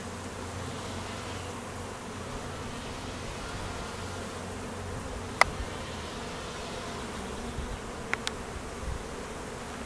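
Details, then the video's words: Many honey bees working an apiary during a high summer honey flow, with foragers and midday drone mating flights; continuous droning hum throughout, low and even, broken by brief ticking knocks. "Honey bees working hard in high nectar flow"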